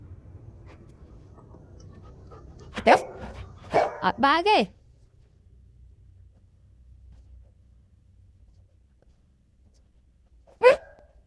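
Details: Golden Retriever barking: one sharp bark near three seconds, a quick cluster of three or four barks around four seconds, then quiet with a faint low hum before a single last bark near the end.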